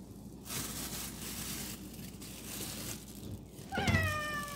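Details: Kittens called to eat their meal: a steady rushing noise fills most of the moment, then one bright, harmonic meow starts near the end and slides gently downward.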